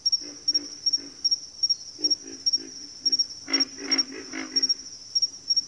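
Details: Frogs in a backwater chorus produce rhythmic low grunts, building to a dense, louder flurry of overlapping croaks near the middle, accompanied by a steady high-pitched pulsing whine.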